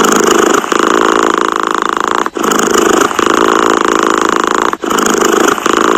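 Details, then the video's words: Domestic cat purring close up, a steady rasping rumble in long even strokes, each breath cycle separated by a short pause roughly every two and a half seconds; no other sounds. "Tiếng mèo kêu gừ gừ"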